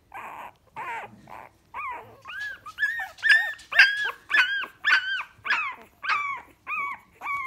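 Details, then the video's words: Several Staffordshire Bull Terrier puppies, Ruby's first litter, whimpering together: rough, noisy squeals at first, then clear rising-and-falling whines, roughly two per second, swelling in the middle before easing off. "STAFFORDSHIRE BULL TERRIER PUPPIES"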